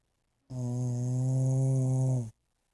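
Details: Sleeping dog snoring: one long, steady, droning snore lasting almost two seconds, low and buzzy with an even tone, in an otherwise quiet room.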